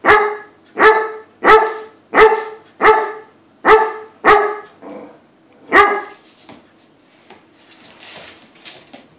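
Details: Eager to play with a cat sitting past a door, a Weimaraner barks seven times in quick succession, pauses, barks once more, then only faint rustling and scratching follow.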